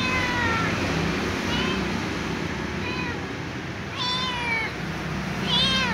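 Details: Little ginger cat meowing and whining for dry food. It gives a series of drawn-out, wavering meows, some rising and falling, roughly five across six seconds, over a steady low hum.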